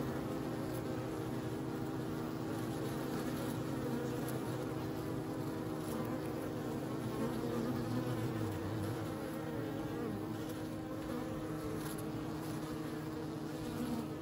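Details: Continuous low buzzing of bees, a thick droning hum that holds steady throughout with small rising swells and scattered faint clicks.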